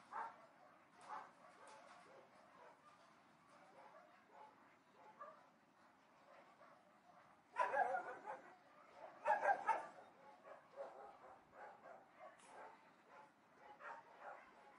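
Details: Barking dogs at a distance: scattered soft barks, then two louder, sharper bursts of several quick barks near the middle, before the calls fade back to faint, spaced yaps.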